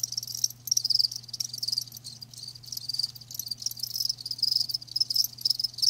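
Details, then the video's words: Crickets kept live, giving dense high-pitched chirps that blur into near-continuous trilling, with louder swells every second or so and a quiet low background hum. "Live Crickets 60min "Natural Sound""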